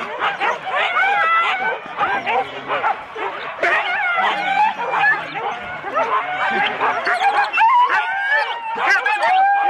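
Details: Husky sled dogs in four-dog teams at the start of a race at Rendlesham in January 2016, an excited chorus of overlapping barks, yelps and whines with some human speech mixed in, recorded on analogue cassette tape.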